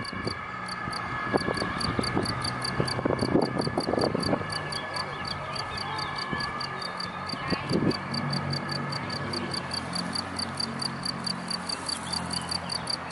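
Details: Cricket hidden in grass, a steady train of short, high, ringing chirps at about three to four per second, with brief human speech and a low rumbling hum beneath.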